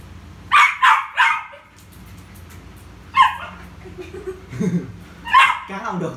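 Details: Pet Poodle Rio, busy playing ball, lets out a quick run of three high barks, then single sharp barks later on, while a person talks in Vietnamese between them.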